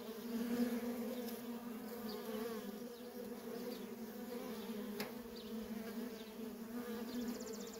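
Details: Steady buzzing of many worker honey bees coming and going at a feral colony, a continuous low drone with a sharp tick near the midpoint and a faint high trill at the end.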